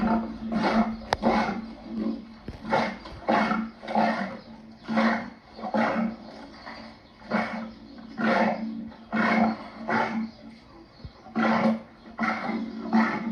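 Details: Lion producing a long run of gruff, grunting roars, around a dozen bursts in quick succession, each roughly half a second, with a steady low hum beneath.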